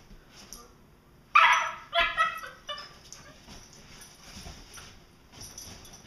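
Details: Two Vizslas play-fighting in August 2012 give a burst of sharp barks and yips, then softer grumbling calls.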